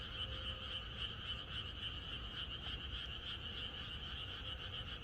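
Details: Frog chorus in the Korean countryside at night, the night before rain: a dense, continuous mass of overlapping croaks with a bright trilling band, many callers pulsing about three to four times a second, over low rumbling background noise.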